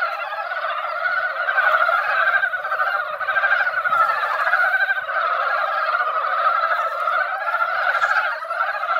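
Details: Mountain frogs gathered in a quiet mountain-valley pond after a light rain that barely wet the ground, singing in a dense, unbroken chorus of rapid clucking croaks in two layered pitches, swelling and fading slightly throughout.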